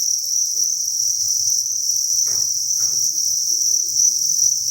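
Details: Thousands of crickets chirping together inside a cricket breeding farm: a dense, unbroken high shrill that holds steady throughout, with two brief scratchy rustles near the middle and soft low thumps beneath.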